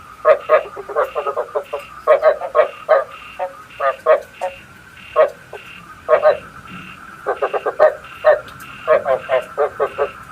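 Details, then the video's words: Night-trapping lure of a calling frog: clusters of short, rasping croaks in twos and threes recurring throughout, with a steady high whine running underneath. "Tiếng ếch mồi chuẩn 99,99% cho ae bẫy đêm tham khảo"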